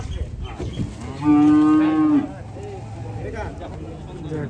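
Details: Morning at a cattle market as animals are unloaded: a single steady, flat moo lasting about a second, with a murmur of voices and market bustle around it.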